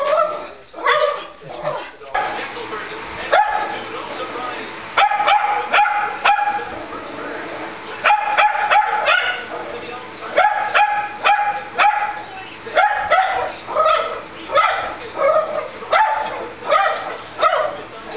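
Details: Excited by animals on the television, Woody the Schnauzer mixes rapid high yips with whining, coming in clustered bursts, while TV sound plays beneath.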